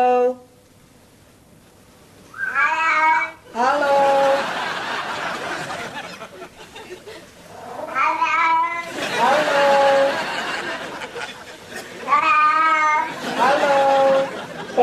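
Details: Domestic cat, a little kitty said to be saying hello, unedited: drawn-out, harmonic meows that rise and bend, coming in bursts about every four to five seconds, with quieter room noise between them.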